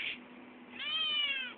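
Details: Indoor eight-week-old male Maine Coon kitten asking for food with a long, clear, gently falling meow lasting under a second, preceded by a brief soft sound and backed by a low hum.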